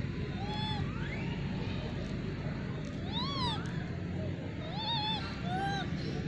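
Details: Wild hungry monkeys gathering for food in the Margalla Hills jungle, hand-fed sweet corn; several arched, harmonic, wavering coo-like calls rising then falling, some overlapping, spread across the clip over a steady low rumble of background noise.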